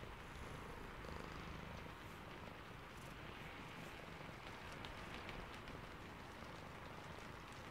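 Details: Sleepy domestic cat purring softly under steady rain, a low pulsing rumble half buried beneath the continuous hiss and patter of raindrops.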